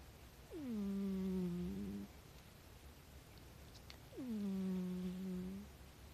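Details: A rescued house cat snoring indoors. Two drawn-out, droning tones with a low steady hum, each slightly falling at the onset and lasting about a second and a half, separated by a quiet breath gap in a still room.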